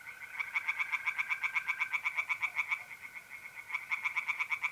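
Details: Mid-April night at a pond in north-east Italy, tree frogs singing: fast, evenly spaced raspy pulses, about four a second, in a long burst, a short pause, then another burst, over the thin continuous trill of mole crickets.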